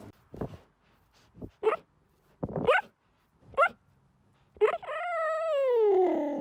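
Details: Cheetah giving several short, clipped chirps and yelps, then a long, drawn-out meow-like call that slides steadily downward in pitch and lasts nearly two seconds.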